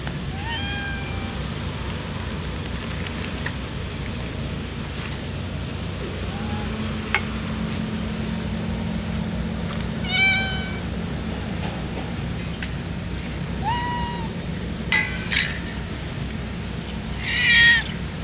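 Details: Free-roaming ear-notched community cats cry in a light early-summer rain in Japan, waiting to be fed: scattered, bent meows at long intervals, several close together around ten seconds and near the end, under constant rain hiss.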